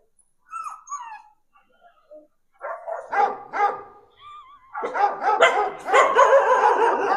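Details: A pet dog reacting to a recorded dog sound played to it: faint whines and squeaks at first, then short barks, building to a dense run of loud, rough barks over the last two seconds.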